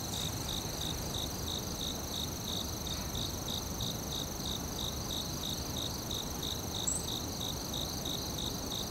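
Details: A forest chorus of crickets pulses steadily at around three chirps per second beneath a continuous high, ringing insect tone, with soft broadband noise filling the lower range.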